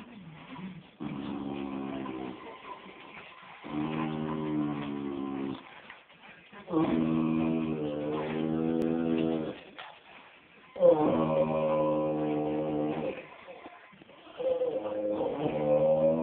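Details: Bruno, a Bullmastiff crossed with an American Pit Bull Terrier, singing indoors: sustained, wavering, tonal howls in bouts of two to three seconds, separated by short pauses, five bouts in all.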